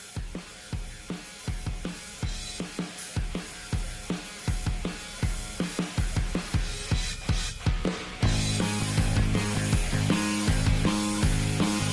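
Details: Background music with a driving drum kit beat of kick, snare and cymbals, then sustained tonal chords after eight seconds, with no animal voice audible.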